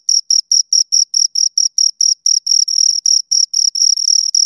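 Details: Shrill chirping from two crickets: clean, high pulses repeat roughly three times a second. Near the end some pulses run longer and blur together, with silence in the gaps.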